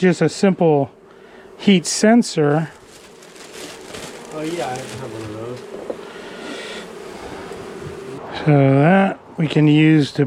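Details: Angry honey bee colony, long established in the wall of a house, disturbed during a rescue cutout after dark: a steady droning hum through the middle stretch, with human speech at the start and end.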